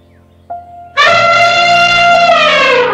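An elephant gives one loud, brassy trumpet that holds steady for about two seconds and sags slightly at the end, after soft background music.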